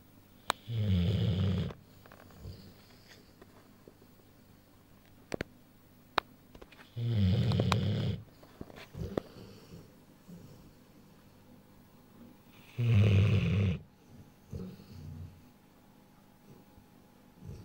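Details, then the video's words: A sleeping Rottweiler, a little over one year old, snoring indoors: three deep, rasping low snores, each about a second long, spaced roughly six seconds apart, with quiet breathing and a few faint clicks between them. "Rottweiler (Vigo) Snores"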